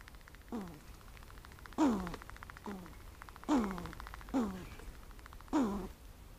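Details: A matriarch squirrel gives a warning call, a series of short, falling, husky calls about one each second.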